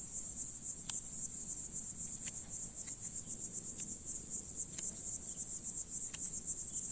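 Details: Cicada perched on a leaf in a summer farm field, its song a shrill, strongly pulsed high whine beating roughly four times per second, with occasional soft ticks in the background.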